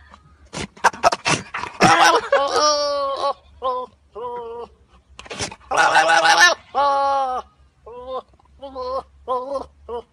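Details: Angry goat calling in a string of harsh, wavering bleats, two long loud strained outbursts near two and six seconds, with shorter quivering bleats repeated in between.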